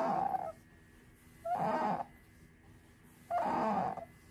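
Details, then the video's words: Sakura, a female pet otter, crying repeatedly as she settles down for a nap: three short, hoarse, squealing cries at a steady mid pitch, each about half a second long, with quiet pauses between them in a calm indoor room. "めっっっっちゃ鳴きながら昼寝に入るカワウソ Otter taking a nap with lots of cries"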